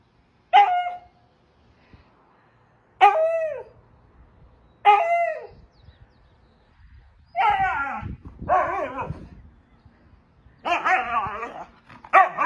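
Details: Crazy, hyperactive Siberian Husky gives three sharp descending yelps about two seconds apart, then shifts into longer wavering howl-like vocalizations in quick succession, with faint background rustling.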